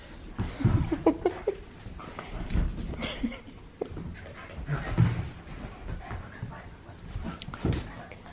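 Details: Australian Cattle Dog puppy, male, playing indoors at bedtime with the household's other dogs as they begin to accept him; scattered short growly grunts, whimpers and yips in irregular bursts, with a woman talking and laughing nearby.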